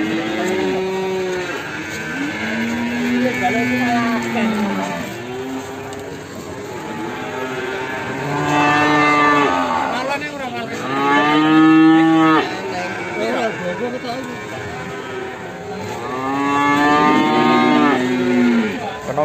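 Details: Limousin calf cattle in Ambarketawang, Sleman, in the morning: about four drawn-out, low moos with rich harmonic bands, rising and falling, spread over nineteen seconds, with people talking and music behind.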